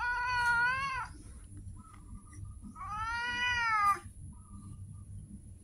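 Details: Street cat calling with two long, drawn-out meows, each about a second long, rich in harmonics and slightly arching in pitch, separated by a brief pause over quiet background noise.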